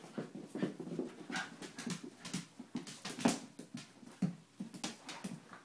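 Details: Two dogs, a schnauzer named Salty and an Italian greyhound named Concetta, wrestling indoors: rough, low growly huffs and pants come in bursts about once a second, with scuffling between them.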